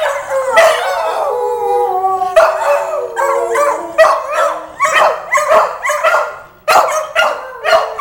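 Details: Pair of Petit Basset Griffon Vendéens singing: a sustained wavering howl at first, then breaking into short, rapid yipping barks and brief howl fragments repeated about twice per second.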